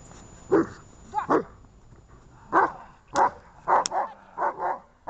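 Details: Dog barking on 23 December 2018, one of Gosha and Gesha: six short, sharp barks spaced unevenly across five seconds, some in close pairs, over a quiet room background.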